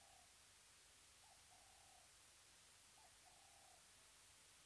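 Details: Wild cheetah calling at a waterhole webcam at Mabula Game Lodge, South Africa: faint steady hiss with three short flat whistled calls, each opening with a quick upward hook, spaced roughly 1.5 seconds apart.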